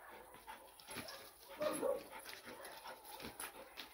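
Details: A two-month-old Bucovina Shepherd puppy playing gives brief, soft yips and whiny barks amid faint background noise.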